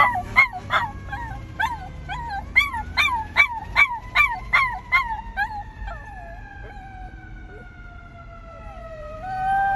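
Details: A female Miniature Schnauzer, scared by a fire truck's horn, gives a run of rising, yelping notes that stretch into a long, falling howl.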